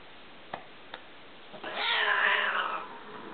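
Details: Male tabby kitten goes after his older adopted Siamese sister inside a home; two faint taps, then a long wavering yowl rising and falling over about a second.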